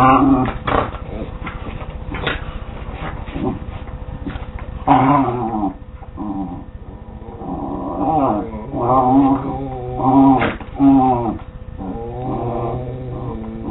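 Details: West Highland White Terrier playing with a Scottish Terrier; ongoing rough-and-tumble play with rumbling growls, whiny yelps and harmonic whimpers, some clicking sounds, two dogs vocalizing together.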